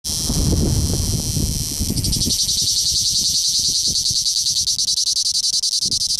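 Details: A male cicada in southern Italy gives a loud, high, rasping buzz that turns into a fast, pulsing rattle.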